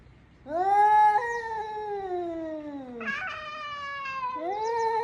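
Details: Cat calling in long, plaintive meows: a sustained cry sliding gradually downward, a brief break, then another rising-and-falling meow, loud and tonal against near silence.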